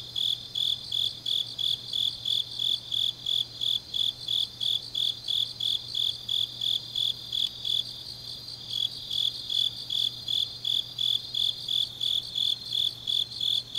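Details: On an autumn night in Changnyeong, South Gyeongsang, Korea, grass insects keep up rapid, high-pitched chirping, about three pulses each second, slightly uneven at times, with a background trill and a low steady hum.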